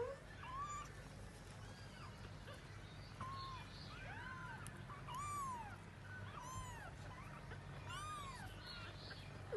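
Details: Cat searching for her young; soft, thin mewing calls arching up and down, repeated in loose clusters over steady low background rumble.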